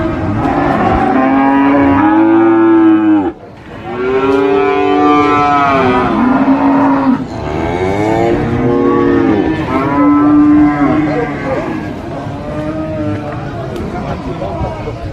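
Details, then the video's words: Market cattle for Qurban sacrifice giving repeated long moos, about five harmonic calls in fifteen seconds, some overlapping, with a brief pause and busy background noise. "SUARA SAPI COW SOUND EFFECT MOOOOO"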